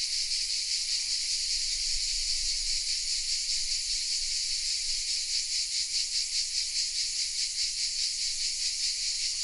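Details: Cicadas nestled in oaks around the village of Vézénobres in southern France, captured with a Sony RX10 M3 camera: an unbroken hissing, buzzy chorus, gently throbbing in fast regular pulses, with a little low rumble beneath.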